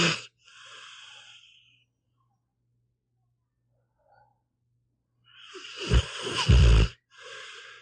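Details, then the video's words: Sleeping pit bull named Meatball: soft airy snore breaths with long silent gaps, then a loud rattling snore with deep throaty pulses, followed by another quieter breath. "One hour of a snoring dog"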